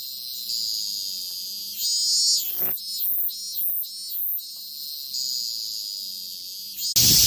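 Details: A cicada's high continuous buzz that swells and breaks into several louder uneven pulses midway, then resumes a steady drone before a sharp loud burst at the end.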